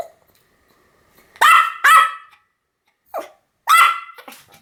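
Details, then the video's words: High, sharp barks from a Pomeranian, two close together, then a softer one and a final loud bark, with clean silence between them. "犬の鳴き声 ポメラニアン 1000回吠え Dog sound effect"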